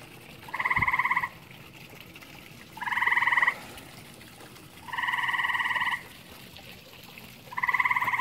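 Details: Grey tree frog at a pond shared with common toads: harsh buzzy trills about a second long, each a rapid pulsed rattle, repeated every two to three seconds with quiet gaps between.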